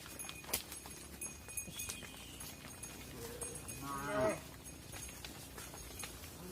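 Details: Farm cattle, mother cows going into the barn as their calves remain outside; one rising, harmonic moo around the middle against a noisy barn background with clanks and hum.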